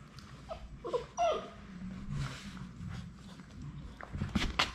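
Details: Labrador Retriever puppies, the final three of a litter, indoors at High Desert Labradors on their last day before going home. A thin, high whimper slides downward around the first second, with soft rustling and a brief clatter near the end.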